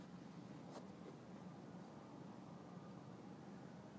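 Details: Gabbana the cat, cuddling and now more trusting of being caressed, gives a low, steady, finely pulsed purr; a brief soft rustle comes early on, and a faint hum sits beneath.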